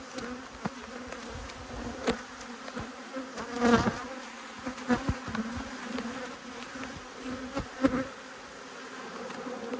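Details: Honey bees from two hives, cross at being inspected, 5 March 2022: a steady, low droning hum with a faint higher overtone, broken by sharp clicks and knocks of hive handling.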